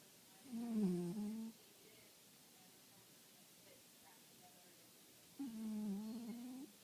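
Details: Small domestic cat asleep indoors, snoring: two drawn-out, buzzy, tonal breaths about a second long, spaced roughly four and a half seconds apart, with quiet room hiss between them.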